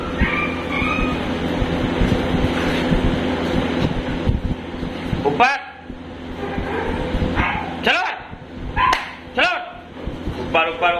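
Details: Dog at a dog training school, recorded 9/8/22, gives a few short, sharp barks spaced about a second apart in the latter half, after several seconds of loud, rumbling background noise; human voices and a low hum run throughout.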